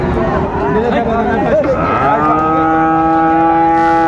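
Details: Friesian and cross-breed bull calves at the Raniganj cattle market in Dinajpur, Bangladesh, 26 December 2024, during buying and selling: a long, steady, low moo rises out of market chatter and holds evenly to the end, with bargaining voices underneath.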